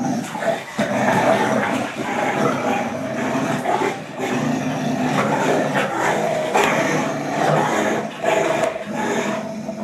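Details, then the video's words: Pit Bull and German Shorthaired Pointer growling continuously during a playful tug of war game, a dense steady rumbling growl throughout with brief rises in intensity. "Pit Bull Vs German Short Haired Pointer - Tug Of War"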